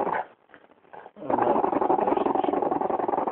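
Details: A French bulldog, called disturbed, growls after a brief bit of human speech: a rough, noisy, sustained grumble of about two seconds with a fast pulsing texture and no clear pitch.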